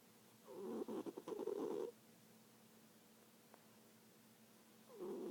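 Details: Snoring from a sleeping cat: a long, gravelly, fluttering breath, a quiet pause, then the next snore starting with a rising nasal sound.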